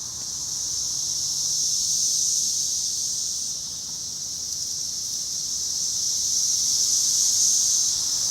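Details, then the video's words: Brood X periodical cicadas filling a tree in Cincinnati in June 2021: a dense, continuous high-pitched hissing drone that slowly swells and fades in waves, with no other clear sounds. "Tree full of Brood X Cicadas"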